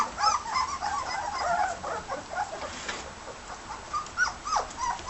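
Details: Eighteen-day-old red and white border collie pups whimper and squeak while eating a solid meal, with many short high, tonal cries overlapping throughout and soft feeding noises beneath.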